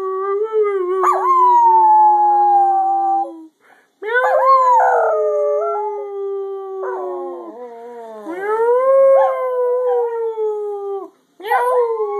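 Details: Singing dog Scruffy gives three long howled phrases, broken by brief pauses. Each phrase swoops upward and then settles into a steady drawn-out note, with a higher accompanying voice.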